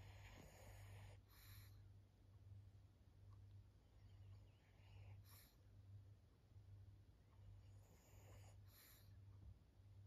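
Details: Maria, a fourteen-year-old female fawn Pug, a senior dog in Japan, recorded 20 October 2024, snores with low rumbling pulses repeating a bit more than once a second, interrupted by a few brief higher-pitched rustling bursts.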